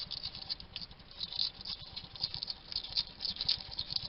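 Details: Wild male hedgehog at a garden feeding station in Somerset, UK, chatting to himself while he eats: rapid crackly clicks, smacks and crunching chews that come in quick uneven bursts.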